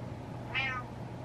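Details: A single short meow from Butters, a male house cat who meows to get what he wants, heard indoors. It is a brief, bright, slightly rising call over a low steady hum.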